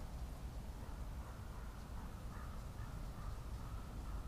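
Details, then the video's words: Deep roaring of a red deer stag at the 2023 rut, recorded on a trail camera; a sustained low growl with layered harmonics reaching upward, held at an even loudness throughout. "Rykowisko 2023"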